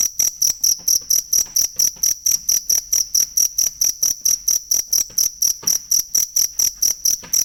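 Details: High-pitched cricket chirps, a model sound for songbirds to learn, repeat roughly four times a second in an unbroken, rhythmic run of about thirty sharp pulses.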